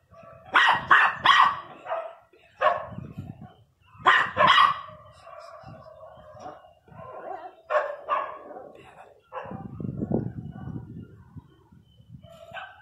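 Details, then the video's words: Pinscher named Teco barking angrily: loud, sharp harmonic barks in quick clusters of two or three, separated by brief pauses, with some lower rumbling noise and a voice in the background. "pinscher 1 bravo latindo"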